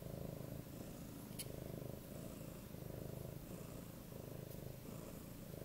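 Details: 8-month-old male Siberian cat (Neva Masquerade) purrs loudly while begging for cuddles: a steady, low, rumbling throb.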